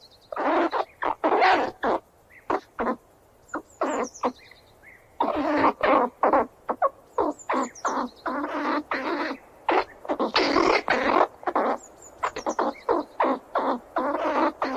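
A squirrel gives harsh, broken squeals in quick irregular bursts.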